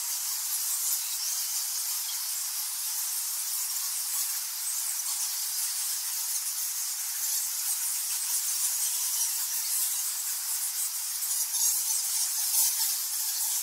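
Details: Cave chorus of thousands of nectar bats at Goa Lawah, Bali, Indonesia: a continuous shrill sizzle of countless overlapping squeaks and squawks, steady in loudness throughout, with no other sounds standing out.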